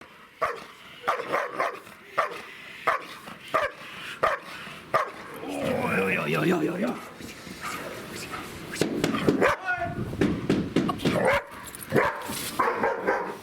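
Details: Siggi, a nervy two-year-old female German Shepherd, is put under pressure in bite training in a completely new scenario and is plainly nervous. Short sharp barks repeat about every second under shouting human voices and scuffling.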